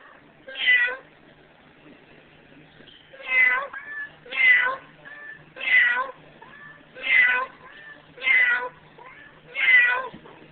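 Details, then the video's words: A final meowing duet between a person and Emo, a female house cat about to be given away. Seven loud, clear meows arrive at uneven intervals over ten seconds, with faint quieter mews between. "Nice Kitty (The last kitty Duet)"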